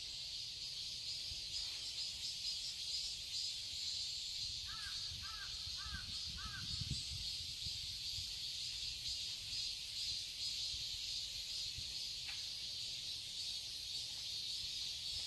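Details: Summer cicadas in a Seoul garden, Korea, keep up a steady high sizzling drone, while a crow gives a quick run of four harsh caws partway through and a low rumble passes.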